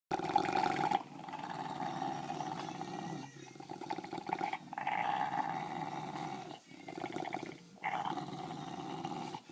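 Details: Two English bulldogs playing a loud tug of war with a toy in low light, giving continuous rough, rumbling growls broken by short pauses, with brief louder snarling bursts.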